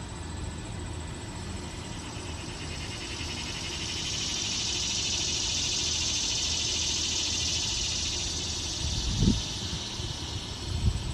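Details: Male annual cicadas singing to attract females in a yard in summer: a broad high buzz swells steadily toward the middle, holds, then fades, over a low background rumble with a couple of soft thumps near the end.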